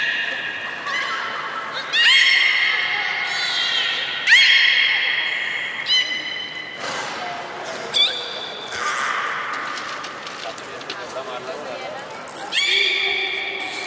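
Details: Playful young belugas during a pool move at Port of Nagoya Public Aquarium, 5 November 2017: a busy run of bright, harmonic squeals and whistles, some abrupt and sliding, overlapping in quick succession inside a reverberant hall.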